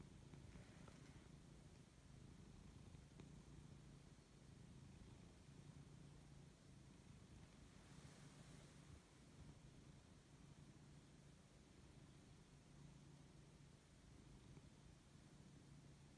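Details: Siberian cat named Lexi waking up and enjoying being fussed, giving a steady low rumbling purr that runs continuously with soft breathy texture and a brief faint higher rustle early on.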